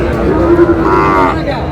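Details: Cattle from a herd on the move in Bangladesh; one loud, drawn-out moo with a steady low tone that rises and swells midway, then fades, against background rumble.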